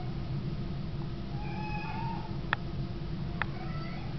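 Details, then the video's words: Domestic cat Baggins calling in the dark once the lights go out: one sustained, slowly rising meow, then two sharp clicks and a softer trailing cry, with low background hum throughout. "Cat Singing Opera"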